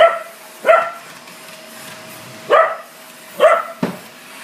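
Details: Pet Corgi furious at a vacuum cleaner, giving four abrupt barks at uneven intervals over a steady mechanical drone.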